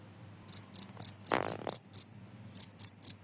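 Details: Cricket chirps offered as a noise to drive rats away; a short run of bright, high chirps, broken midway by a brief rustling burst, then a gap before three more chirps.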